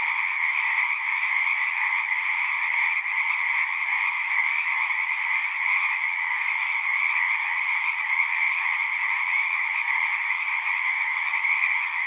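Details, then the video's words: Many frogs singing together at a pond in a horse pasture, captured with a Zoom 6. A continuous, shimmering mass of overlapping calls holds an even pitch and volume from start to finish, with nothing else breaking through. "Frogs singing"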